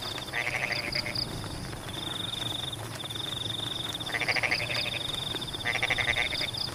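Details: Frogs in rice fields while rain falls, giving three separate bursts of rapid rattling croaks, each under a second long, with a persistent shrill insect trill and soft rain noise throughout.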